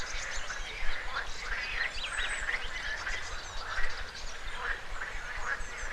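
A chorus of frogs gives overlapping, duck-like croaks in a steady clatter. Flowing river water rumbles low beneath them.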